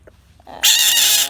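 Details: Bullfrog screaming: after soft clicks, a sudden loud, piercing, noisy scream holds steady for about two-thirds of a second.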